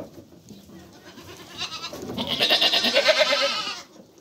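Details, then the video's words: Mother goat and kids calling: one strained, tremulous bleat that swells over about two seconds and then stops, following a quiet stretch of faint rustling. "Anne keçi sesi yavru oglak sesleri"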